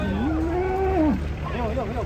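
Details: Cattle being unloaded from a truck in the rain: one drawn-out moo rises, holds level for about a second, then drops away, while people talk nearby.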